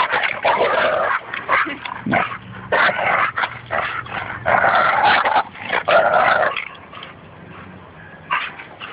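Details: At Fernandina Beach Dog Park, Espy the Bouvier des Flandres and Goose the Labrador Retriever play tug-of-war while Goose trash talks. Choppy, raspy growls come in rapid bursts, then fade to quieter grumbling near the end.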